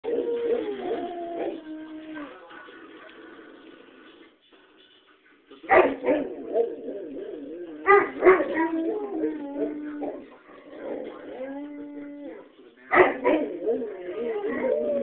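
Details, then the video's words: Two Great Pyrenees dogs howling together, one joining in with his first real howl that ends in a high falsetto; long wavering tonal howls in several bouts separated by short pauses, with overlapping voices. "Howling Great Pyrenees"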